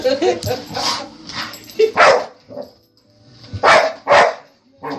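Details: Family dog barking at a running vacuum cleaner indoors: a few sharp, loud barks in two pairs with a pause between, over a steady background hum, with a person talking at the start.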